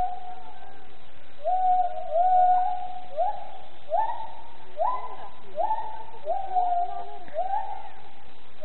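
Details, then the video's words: A gibbon at Planckendael zoo sings a series of clear, rising whooping notes, each swooping upward in pitch. "Planckendael: Gibbon gezang"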